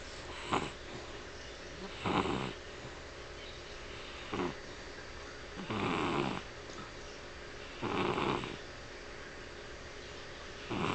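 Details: Dog asleep and seemingly dreaming, eyes showing rapid movement. Raspy, breathy snores come about every two seconds, some short and sharp, others longer and fuller, over a constant low hiss.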